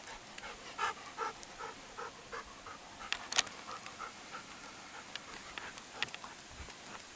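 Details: Golden Retrievers, eleven and ten years old, searching for fallen walnuts in autumn in Toyono, Osaka, Japan, filmed September 24, 2020; quick rhythmic dog panting in short bursts, with footsteps and rustling outdoors.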